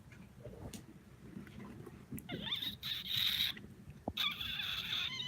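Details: Kittens recorded on 16 September 2018, giving high, thin mews: a long sustained cry around the middle, then another drawn-out wavering cry near the end, over soft low rustling and faint tapping.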